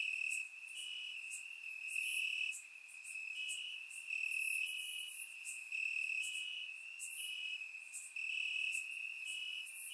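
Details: Crickets chirping in grass on a warm summer night in Bulgaria, recorded with a surround microphone: a steady high trill band with brighter pulsed bursts of higher chirps recurring every second or two, a chorus of several insects.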